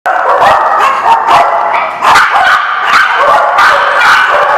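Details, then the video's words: Dogs barking at a dog lot, loud overlapping yips and barks repeated roughly every half second, several voices at once, harsh and continuous. "The Barking Lot"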